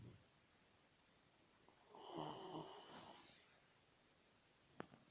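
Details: A single drawn-out, rough snore from a sleeping pet dog, swelling and fading over about a second, then quiet room tone and a sharp click.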